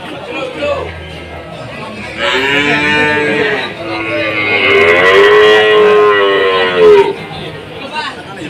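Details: Cattle mooing at a cattle market in Indonesia during a foot-and-mouth disease outbreak; a long, drawn-out low moo with rich harmonics rises and falls over about five seconds, with background market noise and faint chatter.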